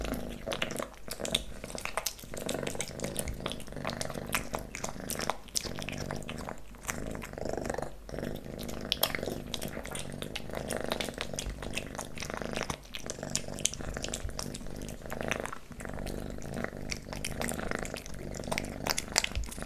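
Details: Kitten named Leo eats pate wet food, stick treats and creamy treats, recorded closely for ASMR: a long run of busy wet smacking, licking and chewing clicks, almost unbroken, layered over a constant low purr-like hum.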